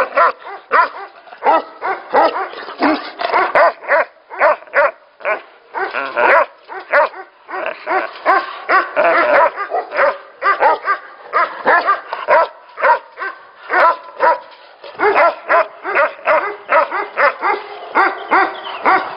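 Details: Tibetan Mastiffs at a Tibetan mastiff factory, many dogs barking together in a dense, overlapping chorus of harmonic, arched barks, some rapid runs and some louder single barks, with barely a pause throughout.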